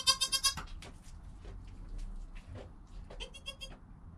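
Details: Newborn goat kid named Joel, within an hour of his birth beside his calm mother Penny, captured on a GoPro: a rapid burst of five high, harmonic bleats, then scattered quieter bleats later amid soft rustling and low background rumble.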